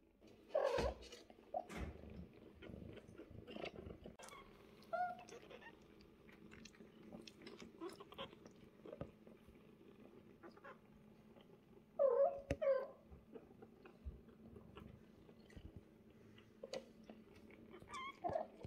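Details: Mother cat Bassy with her kittens Yupi, Cola, Fanta, Pepsi and Sprite indoors; a steady low purr runs throughout, broken by a few short harmonic mews near the start and around twelve seconds, plus soft rustling and chewing-like clicks.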